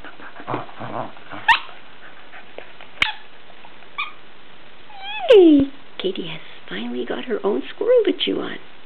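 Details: Corgi indoors at Christmas 2009, playing with a new plush squirrel present: soft rustling and sniffing, a few sharp clicks, then a clear downward-sliding whine at about five seconds, followed by a human voice talking over the final seconds.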